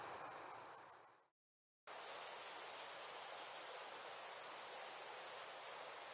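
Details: Summer night cricket sound: a brief fading pulsed chirp, then a short silence, then a loud, unbroken, very high-pitched trill that holds steady to the end.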